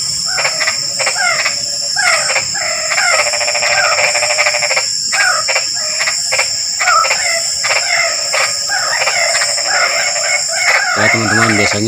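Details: Continuous frog chatter: dense, buzzy rattles and quick chirping notes in uneven bursts with brief pauses, a steady high whining drone beneath, and a lower, deeper repeated call near the end.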